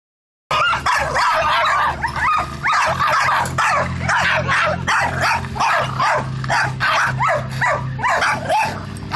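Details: Several dogs barking at Billy, a black cat: a dense, continuous run of sharp, high yapping barks and yips that overlap almost without pause, over a steady low hum.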